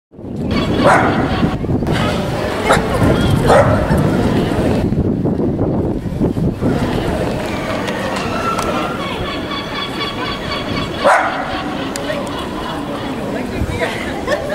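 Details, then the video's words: A small dog barks suddenly at a bull statue in High Town, Hereford, filmed on a camcorder; sharp barks rise over constant street noise, with voices talking nearby throughout. "Dog barks at 'Bull' in High Town Hereford!"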